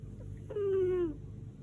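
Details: Sleeping pet cat Lady Silvana, whose snoring is likened to a tractor, gives a single short, steady buzzing snore of about half a second that drops slightly in pitch at its end, over a low indoor hum.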